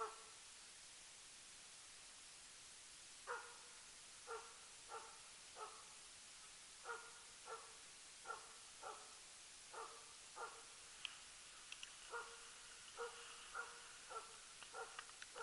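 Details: Jämthund named Lillsjöhögens Rapp barking during loose-dog elk hunting, tenth elk of 2012; after about three quiet seconds, sharp barks sound in spaced bursts, distant and faint against a hushed forest background.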